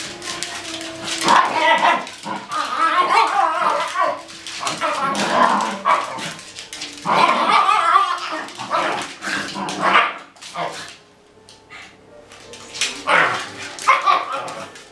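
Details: Several Shiba Inu dogs at playtime in a dog daycare: bursts of short, rough barks and yelps come in clusters every few seconds, with human voices and scuffling in between.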